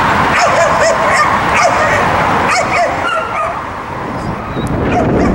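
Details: Three-year-old blue-nosed American Pit Bull/Mastiff mix being assessed as a possible service dog at an animal shelter in San Antonio; quick bursts of short, high yelping barks with rising-falling whine-like notes over a noisy, echoing room.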